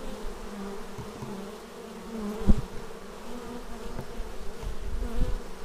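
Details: Many bees returning to their beehive, captured with a Xiaomi Yi action camera; a deep, even hum throughout, with a single sharp close pass near the middle and gentler buzzing swells toward the close.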